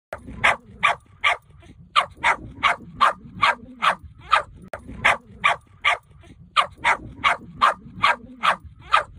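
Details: A puppy gives quick, high, sharp yips, about three each second, in two steady runs.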